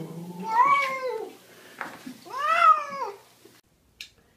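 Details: Pet cat giving two separate meows about two seconds apart, each one arching up and then down in pitch, followed by a brief soft click and silence in a small room.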